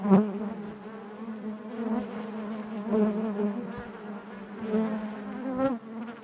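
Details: Honey bees inside their hive produce an even, deep buzzing drone with gentle swells and a couple of brief louder buzzes at the start and near the end.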